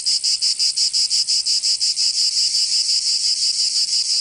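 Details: Provençal cicadas in summer, southern France, producing a shrill grating drone pulsed about three times a second, the beats blurring into a steadier buzz toward the end.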